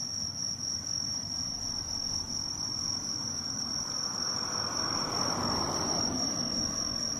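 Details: On the mid-autumn full-moon night of 18 September 2024, bell crickets keep up a continuous high, bright ringing, while a broad low hiss and rumble swells toward the end.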